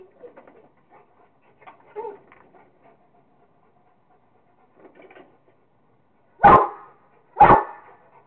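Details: Rottweiler Kingston having fun with a squirrel. Faint scuffling and soft sounds, then two loud, deep barks about a second apart near the end.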